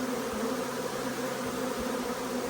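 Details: Marked queen honey bee, likely a Carniolan, with her arriving swarm; a loud, constant buzz of many bees, banded hum in the low-middle range, occasional low knocks.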